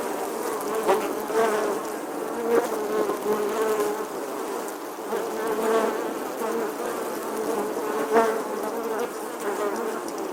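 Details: A bee buzzes in summer with a sustained low droning tone, loudness wavering gently and peaking in quick bursts at roughly one, two and a half, and eight seconds.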